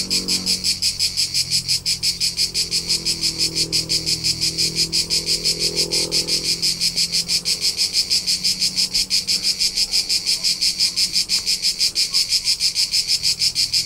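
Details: Summer cricket chorus from the Tuscan hills of central Italy, shrill pulsed chirps repeating roughly three per second without pause, a soft low rumble audible early on.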